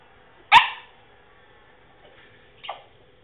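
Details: Male French Bulldog attempting to bark, producing one sharp, husky yelp followed two seconds later by a weaker, shorter squeaky grunt; low steady background hum.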